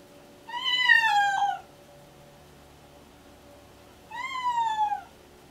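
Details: Deaf domestic cat, pregnant and in pre-labour, excitedly meowing all the time: two drawn-out meows, each about a second long, rich in harmonics and gently falling in pitch, separated by three seconds of quiet indoor hum.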